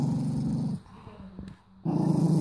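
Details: Male mini doberman in Cyprus growls at his owner while baring his teeth, angry and refusing offered food. A deep, steady growl breaks off into near silence, then resumes just as low and rough.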